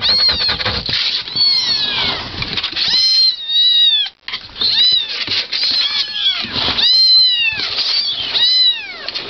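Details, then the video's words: Kittens meowing in a compilation, many overlapping high, arching mewls crowding together almost without pause, with a brief silent gap near the middle. "Cats Meowing – Kittens Meowing Video – Cute Kitten Meowing Videos – Funny Cat Meows"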